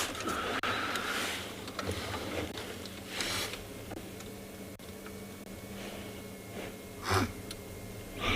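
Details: Blue wildebeest in a small group at a South African private game reserve on a morning safari, 2 July 2021, give alarm snorts at nearby people on a coffee break: sharp, breathy, noisy bursts spaced a few seconds apart.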